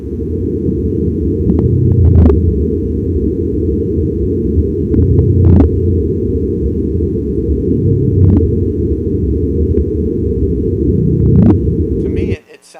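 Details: A gray whale, recorded on a cabled hydrophone in the bay of a national marine sanctuary, gives low, rumbling grunts and moans rising from a steady deep hum, a gentle sound like a human trying to talk underwater.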